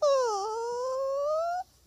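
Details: Poodle named Buddha, a male dog, crying in a drawn-out, tonal wail that dips slightly, then rises slowly and steadily for over a second before stopping; a short second whine begins at the end.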